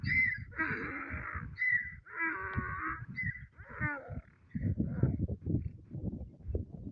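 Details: A donkey at a mound brays in loud, harsh bursts that alternate between a wheezing inhale and a honking exhale.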